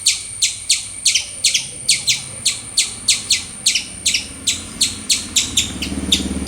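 A squirrel gives loud, sharp chirps in a rapid, steady series, about three each second.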